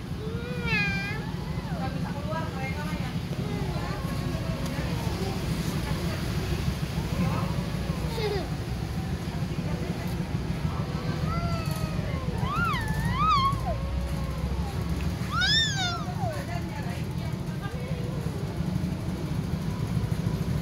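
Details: Cats fighting over territory in a parking lot: drawn-out wavering yowls and rising-falling caterwauls trading back and forth, some sharp and piercing, over a constant low engine-like rumble.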